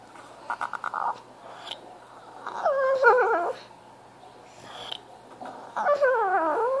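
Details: A French Bulldog cries for attention, whining in long, wavering, nasal cries that rise and fall after a few short yips.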